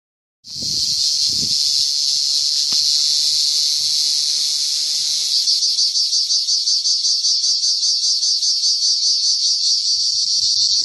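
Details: Cricket giving a loud, unbroken high-pitched trill that starts abruptly and holds steady throughout, turning into a faintly pulsing, throbbing buzz in its second half; a few soft low thumps are heard near the start.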